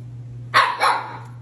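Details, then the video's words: Siberian Husky arguing with its owner about sharing ice cream: a two-part, yowling 'talk' of rising then falling bursts lasting under a second, with a steady low hum behind. "Funny Arguing Husky Videos! Dog Talks Back So Funny!"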